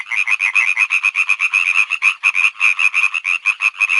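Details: Continuous frog chorus of quick, raspy croaks repeated about three times a second, overlapping calls forming a steady rattling pulse with no other sounds.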